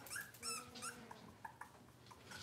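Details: Cavalier King Charles Spaniel puppies in a kitchen on a cloudy Monday morning: faint, high, thin whines with rising and falling pitch, several short cries in the first second, then softer scattered squeaks over a noisy indoor background.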